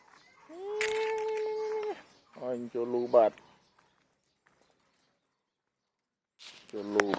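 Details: A hungry male village cat about three years old lets out one long, steady, even-pitched meow lasting over a second, then a man talks.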